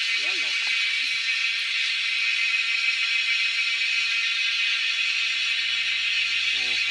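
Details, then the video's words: Cicadas in the wild, pursued by hunters, fill the air with an even, high, sizzling drone; a voice speaks briefly at the start and again at the close, with a low rumble late on. "Hunting cicadas || Making crazy noise in the wild yet drawing our eyes to catch them."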